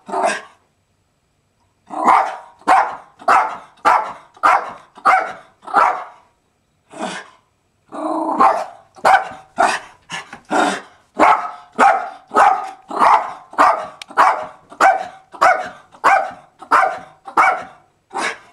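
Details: Zoey, a pet female dog, barks in a long run of sharp, even yelps, roughly a hundred a minute, with a brief pause early on before the barking resumes steadily to the end.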